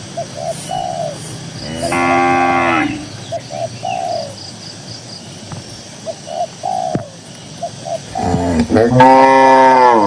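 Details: Cattle out grazing on a cool green countryside field: one firm moo early, quiet stretches with repeated short tonal chirps, then a loud, rising, long moo at the close.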